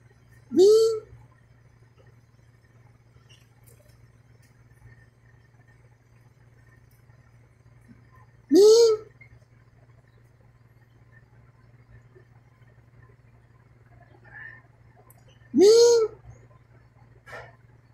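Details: Cat in a mating context giving three short, rising meow-like cries spaced about seven seconds apart, each with a brief hissy edge, over a steady low electrical hum in a quiet room.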